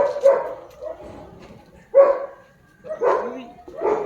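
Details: German Shepherd recorded 06.10.2025, giving four loud, separate barks spaced roughly a second apart, each a short harsh burst, with people talking in Tagalog between them.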